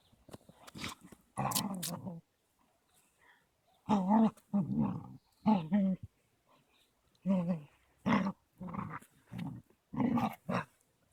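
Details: Caucasian Shepherd pair, Amy a 3-month-old female puppy and Balu a 21-month-old male, playing rough on 13.02.16; deep voiced growls come in about eight short bursts, each under a second, separated by quiet gaps.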